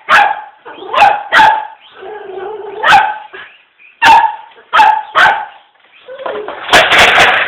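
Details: Small poodle facing a toy RC car barks in short clipped yaps, with brief whines in between and a burst of louder, noisy rattling toward the end.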